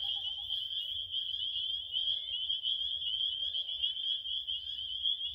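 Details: Shrill, steady chirping from many crickets forms a constant high buzzing trill at an even pitch, slightly pulsing in loudness, over a faint low background rumble.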